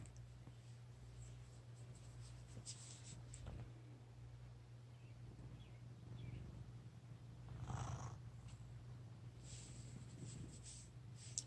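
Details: Fat male cat snoring in its sleep while being teased, soft raspy breaths rising every few seconds over a steady low indoor hum, with faint rustling.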